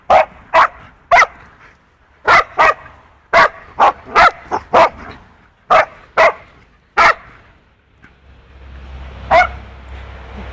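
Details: A two-year-old poodle named Punky and a four-month-old wolfdog puppy play rough together. Loud, sharp barks and yips come in uneven pairs and runs for about seven seconds, then rustling and one last bark.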